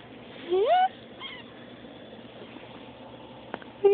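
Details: Baby kitten squeaking: one short rising, slightly wavering squeak near the start, a faint second note, then quiet room sound, a click, and another squeak beginning at the very end.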